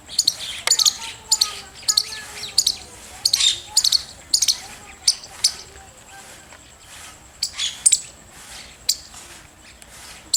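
A squirrel gives sharp, high chirps in quick, uneven bursts, with faint bird notes behind.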